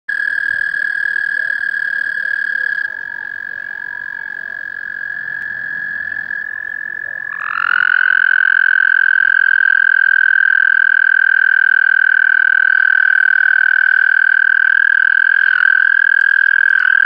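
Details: A male American toad in Lindsay, Ontario, gives a long, steady, high musical trill that holds one pitch without a break.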